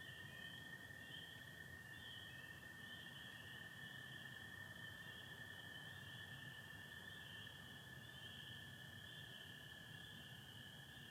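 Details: Michigan spring peeper chorus at night, April 24, 2025, stars and satellites overhead with some overcast: the high peeping band wavers slightly as individual callers overlap, and American toads hold a steady lower trill throughout.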